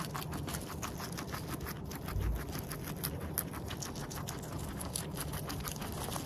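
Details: Munching guinea pig in close-up. Quick, crackly chewing bites follow one another steadily, with one brief dull bump near the middle, all over a low background hum.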